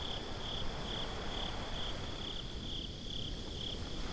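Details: At night by the sea, crickets give bright, high chirps in a regular beat, about two each second, nine in four seconds, above a continuous low rumble of surf, captured with binaural microphones.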